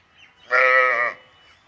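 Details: Water buffalo calf on a dairy farm giving one steady, harmonic, bleating call that lasts just over half a second and then stops, against a quiet background.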